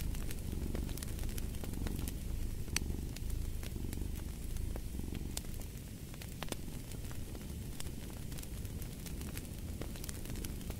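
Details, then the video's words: Low continuous cat purr, a soft rumbling drone, mixed with a crackling fire that adds frequent sharp snaps and pops over the whole stretch. "Purring of a Cat"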